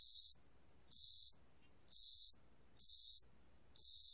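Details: High trilled chirps from a spring-summer cricket, the Korean cricket of spring and summer, in a National Institute of Biological Resources recording: evenly spaced buzzy bursts, one just under each second, against near silence.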